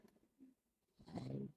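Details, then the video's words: Brutus the Bulldog, asleep indoors, snoring: after a near-quiet stretch comes one low, rumbling, harmonic snore lasting about half a second, with a short fainter grunt before it. "Brutus the Bulldog snoring."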